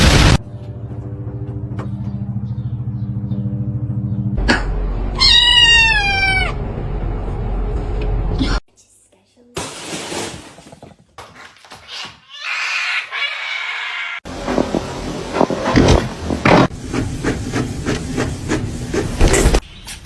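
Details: Domestic cat giving a drawn-out meow of stacked, wavering tones that rise then fall, amid clattering, a steady low hum, laughter and other household noise.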